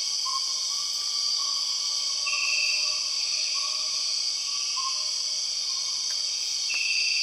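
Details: Empress cicada sound from the Borneo rainforest: a steady shrill insect drone with two short louder buzzing surges, accompanied by faint repeated chirping whistles in the background.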